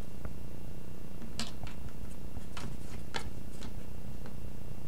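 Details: A playing cat purrs in a continuous low, pulsing drone, while bursts of crisp clicking and rustling break in around the middle.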